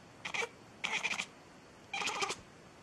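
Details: A cat meows three times, each call short and bright with quiet pauses between, the second and third stretched a little longer.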